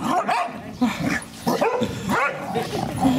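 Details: Daisy, a female English Springer Spaniel, calls out while trying to coax her son and daughter into play; short yappy barks break out roughly every second amid clattering household noise.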